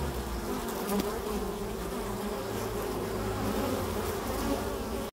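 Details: Steady buzzing of foraging Carniolan honey bees, Kranjska sivka, many wings humming together in overlapping tones, with a low rumble underneath and an abrupt stop at the end.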